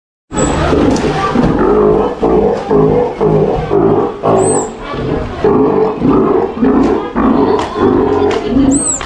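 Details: Captive female Steller sea lion pup, nearly one year old, at an aquarium in Ise, Japan, during no-biting training while staff touch her; deep harmonic roaring bursts repeat roughly every half second, with occasional high squeaks and human voices nearby.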